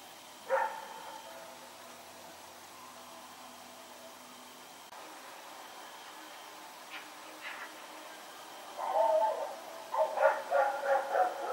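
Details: Dog Rex running about in the night, 21 September 2018: a single bark early, a long quiet stretch with faint hum, then a rapid run of short yapping barks toward the end.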